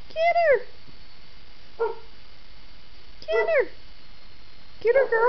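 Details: Two four-month-old kittens play fighting indoors. Arching meows and shorter mews repeat every one to two seconds. The last one is a wavering, drawn-out cry.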